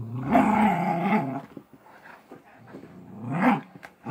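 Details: Golden Retriever growling while playing tug of war, a loud harmonic rumbling growl for over a second, a quieter lull, then a rising growl burst near the end.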